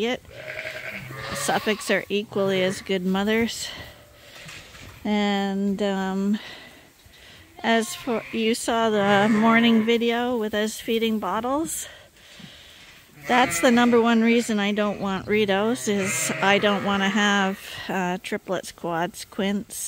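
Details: Hungry lambs at Ewetopia Farms, trained to drink from bottles in a holder, bleat loudly in long trembling calls, many voices overlapping in bursts with short lulls and some talking.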